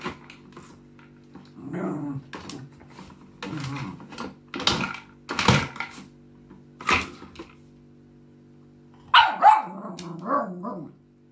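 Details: Maggie, a female West Highland White Terrier living in Germany, gives a run of irregular sharp barks and a few low growly vocal sounds, with pauses between bursts over a steady low electrical hum.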